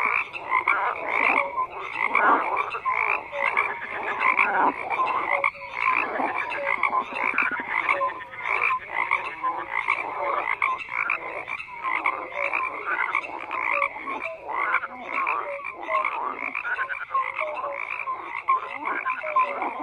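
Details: Frogs in a dense, continuous croaking chorus, many overlapping callers producing raspy pulsed croaks with short tonal notes, steady and unbroken across the whole stretch with no other sounds.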